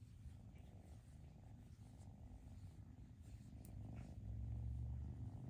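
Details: Rescued foster kittens purr in a deep, even rumble that swells louder toward the end, handled indoors while being socialized.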